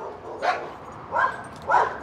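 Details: A tied-up dog on a street barks aggressively at a young female Doberman being walked past it. Three short, harsh barks come about two-thirds of a second apart.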